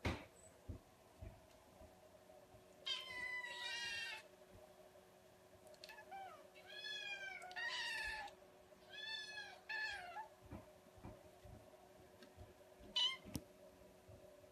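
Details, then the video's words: Kittens meowing indoors: a series of high, harmonic meows in short bursts, some rising then falling, spaced a second or two apart, with a final brief mew near the end over a low steady hum. "Cute Kittens Meowing"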